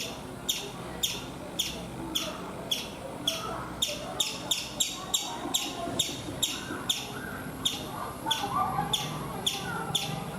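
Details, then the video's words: On a coconut tree in India, a chipmunk keeps up a run of sharp, high chirps, roughly two per second and sometimes paired, each a brief piercing chip, against faint low background noise. "Chipmunk making sounds"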